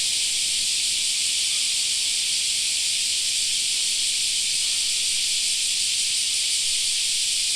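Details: Park cicadas in summer giving a continuous high-pitched sizzling drone, level and unchanging throughout the clip.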